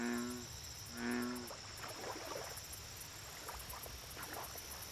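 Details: American bullfrog calling at a lake: two deep, resonant, humming croaks, each about half a second long and a second apart, then softer chirps of other frogs over a constant high-pitched insect drone.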